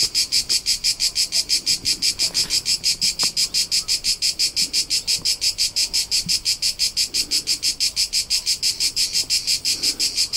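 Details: A cricket chirps in a fast, steady pulse, each chirp a high shrill trill, recorded in summer in the rolling hillsides of Tuscany, central Italy.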